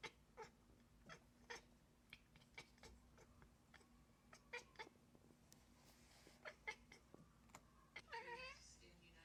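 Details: A house cat chirps at prey such as birds from a window, giving short, clicky chirps at an irregular pace of about two a second and ending with a wavering trilled chirp, over a faint indoor hum.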